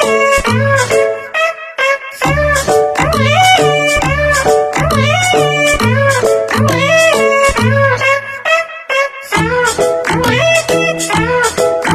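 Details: Upbeat instrumental music with plucked guitar-like notes and a steady bass line plays throughout, with no animal sound heard.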